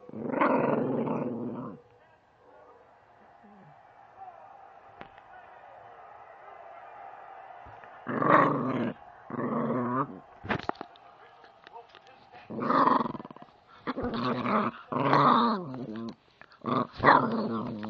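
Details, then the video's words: Growling from an angry female puppy opens with a throaty burst, then a long quiet stretch with a faint steady hum, followed by a cluster of short, harsh growls and snarls toward the end. "angry puppy"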